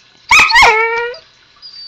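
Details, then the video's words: Zoey, a husky puppy, talking to her owner at home: two sharp yelping onsets flow into a sustained, wavering howl-like note that slides down and fades, with a faint squeak afterward. "Zoey the Husky talking to me"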